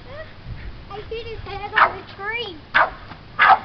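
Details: A high-jumping Boston Terrier going crazy over popping bubbles gives eager, wavering whines broken by a few short, sharp yips and barks.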